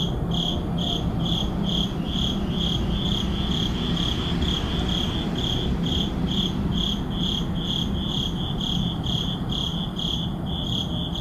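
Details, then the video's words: Crickets chirping at midnight in a city neighborhood: shrill, evenly spaced pulses about twice per second continue throughout, set against a persistent low rumble of urban background noise. "Urban Midnight Crickets"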